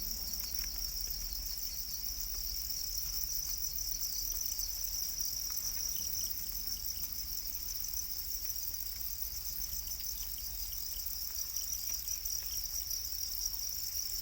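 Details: Para crickets, a domesticated black cricket, keep up an unbroken, shrill high trilling drone throughout, with scattered soft knocks and low background rumble.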